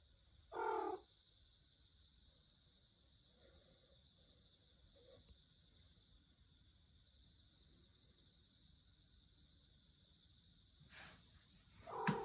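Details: Pet cat giving a strange-sounding meow: a short, flat, nasal call near the start, then a long quiet stretch with faint murmurs, and a second cut-off meow at the very end over a steady high electrical hum.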